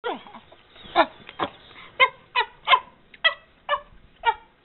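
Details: Emma, a 13-year-old chimpanzee rescued from the pet trade, living at Chimps Inc sanctuary in Bend, Oregon, makes happy squeaks while eating a Cheerio necklace; short harmonic squeaks repeat roughly every half second, about eight bursts.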